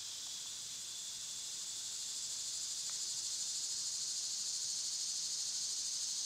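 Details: Summertime cicadas produce a dense, unbroken high-pitched buzzing drone that swells gently louder after the first two seconds, with a faint brief tick or two beneath it.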